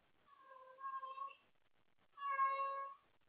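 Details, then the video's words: House cat calling out late at night for someone to play with: two clear, drawn-out meows, the first wavering in two parts, the second louder and steadier, separated by a brief pause. "Wendy wants to play late at night!"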